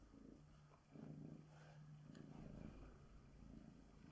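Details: Female Bengal tabby cat being groomed with a glove, giving a steady low purr that swells after the first second and holds, with light brushing noise.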